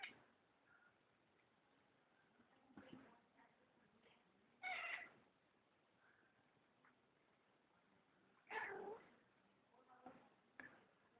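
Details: Domestic cat said to be going crazy, giving loud drawn-out meows and caterwaul-like cries, two strongest near five and nine seconds, with softer shorter calls between and quiet indoor background.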